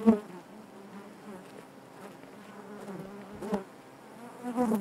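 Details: Honey bees buzzing inside their hive: a steady low drone with stacked harmonic bands, swelling briefly near the start, around three and a half seconds, and again at the end as individual bees pass close.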